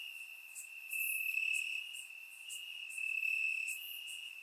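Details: Crickets in grass at night in Bulgaria during warm summer weather; a bright unbroken trill carries beneath fast pulsing chirps that grow louder, ease off, then swell again, surround-microphone recording.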